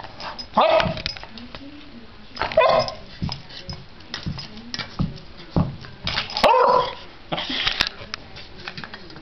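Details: Puppy playing with a dreidel toy indoors: a few short, sharp yips and barks spaced a couple of seconds apart, with soft rattling toy sounds and people talking in the background.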